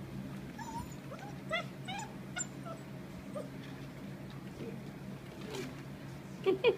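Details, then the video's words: Black Russian Terrier puppies from a kennel litter playing together, giving scattered short high whimpers and yips over a steady low hum, with a woman's voice nearby. "Black Russian terrier puppies."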